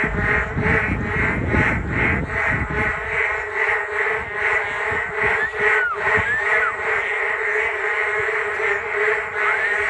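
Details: Frogs calling en masse along the Geum River walking path on a rainy day, a pulsing croak chorus with a few thin sweeping whistles near the end and low rumbling noise at the start.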